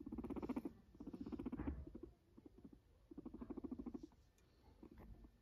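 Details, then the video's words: A guinea pig called Max purrs in short bursts, each a low, fast-pulsed vibrating buzz lasting about half a second to a second, three bursts close together, then quieter. "A cute guinea pig purrs"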